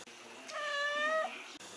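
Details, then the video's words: Adopted domestic cat in Italy, prompted indoors by a person asking it questions, gives one drawn-out meow of about three quarters of a second, steady in pitch and richly tonal, with a quiet room around it. "Talking cat"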